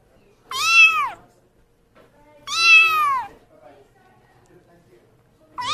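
A kitten gives high, clear meows that rise and then fall, about two seconds apart.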